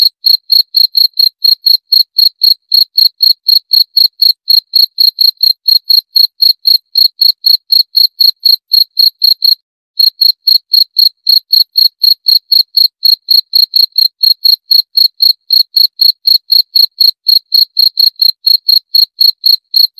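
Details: Continuous high, clear cricket chirping at a brisk regular rate of about four pulses per second, with one brief pause partway through and no other sounds.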